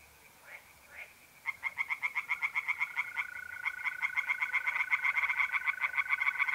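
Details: Tree frogs singing in a pond on a mid-April night in North-East Italy: after a quiet start with two faint calls, a fast run of pulsed croaks bursts in, while a steady, even mole cricket trill hums underneath.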